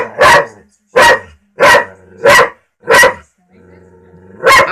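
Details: Pet dog barking at a talking cat: loud, sharp barks spaced under a second apart, six in total, with faint low hum between them.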